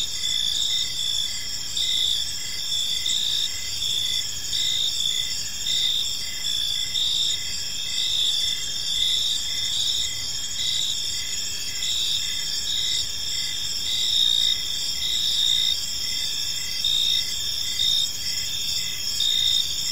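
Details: Chorus of crickets in a quiet park as evening falls: unbroken high ringing trill layered with repeated pulsed chirps, several callers overlapping, loudness rising and falling gently over twenty seconds.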